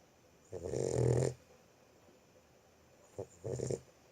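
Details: Sleeping Boxer puppy gives one long rough snore lasting about a second, then a brief snort and a shorter snore after a quiet gap.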